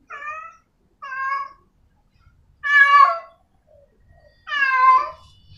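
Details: A female cat in heat meows toward a male. Four clear meows: two shorter, steady ones close together, then two longer, louder, wavering cries.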